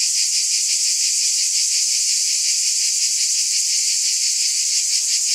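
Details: Cicadas in a dense, unbroken high buzz with a faint rapid pulsing, steady in loudness throughout; no other sounds stand out.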